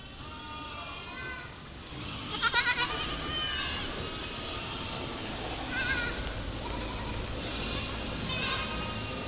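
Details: A herd of goats bleating: three loud, quavering bleats with a trembling, wavering tone, near 2.5, 6 and 8.5 seconds, over a steady rustling background of other quieter goat calls.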